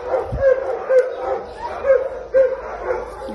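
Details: American Pit Bull Terrier, a male dog available for adoption, recorded 28 March 2022: short, thin whining or whimpering tones come in quick bursts about every half second over a soft background murmur.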